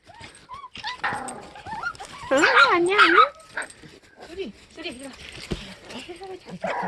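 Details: Sapsali dog family in foster care after birth at the Gimje shelter, mother Suri with her growing puppies; high wavering whines and short yelps rise and fall amid overlapping human talk.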